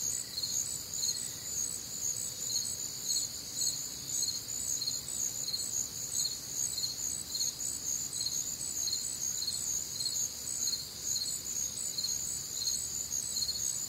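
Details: Many crickets and other nocturnal insects on a warm, humid Midwestern summer night, a steady high-pitched chorus of chirps about two per second stacked over a continuous ringing trill, no other clear sounds.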